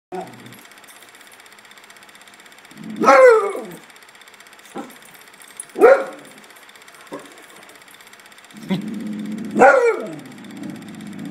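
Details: Pet dog barking in a backyard, startled though nothing is there, showing off: three loud, harsh barks, each falling in pitch, spaced about three seconds apart, with a man talking quietly between them.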